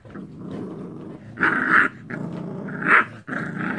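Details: Rough play between American Bully puppies with an Angry Bird toy: a steady low growl swells twice into loud, harsh snarls before dropping back to rumbling.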